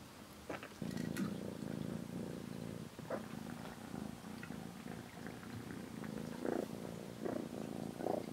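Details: Rescued kitten Aira on her 27th day in care, sleeping in the cat room alongside the cat Shipi and touching Shipi's hind legs; a steady, throbbing purr runs through the whole recording, with soft rustles over it.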